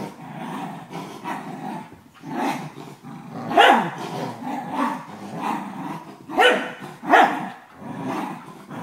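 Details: A 12-year-old corgi plays tug of war with a 4-month-old German shepherd puppy indoors. Low rumbling growls run throughout, broken by three sharp, rising bark-like yelps. A person's voice gives commands to drop the toy.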